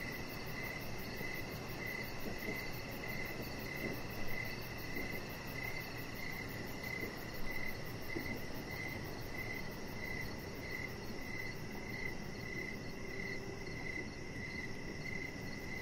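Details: Crickets heard outside at evening by a deck, a chihuahua puppy lying nearby among decoration lights; a long, regular train of bright high chirps, about one and a half per second, over broadband low rumbling.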